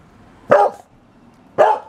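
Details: Hungry female Boxer Liberty barking for an early dinner: two loud, sharp barks roughly a second apart, each with a short ringing tone inside.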